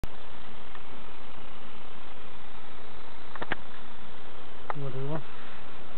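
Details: Bees at hives in Summerwood Lane Allotments and Community Garden, checked by novice keepers: a steady, dense buzzing hum fills the whole stretch, with a brief burst of human speech near the end.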